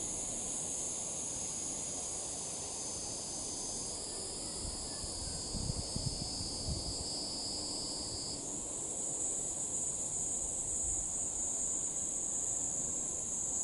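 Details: Higurashi, the evening cicada, heard as evening falls: a high sustained buzzing band runs for about four seconds, then gives way to a brighter, higher shrill tone, with occasional soft rustling beneath.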